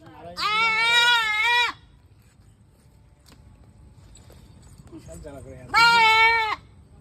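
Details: Goat bleating: two loud, wavering, harmonic-rich bleats, the first long and the second shorter, separated by a quiet stretch with low rumbling background noise.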